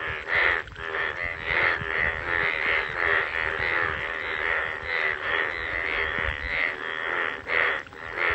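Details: Bullfrog calling in the rain in a village, a loud, harsh, croaking chorus pulsing continuously, roughly one burst per second.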